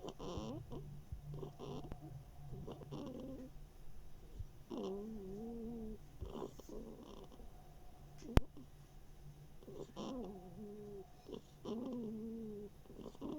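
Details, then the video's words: Summer 2021 recording of Mashenka, a female hedgehog without one ear, snoring and sniffling. Wavering, slightly wobbly nasal whines alternate with breathy snuffles, plus a single sharp click midway. "Машенька - ежиха без ушка. Храпим и сопим."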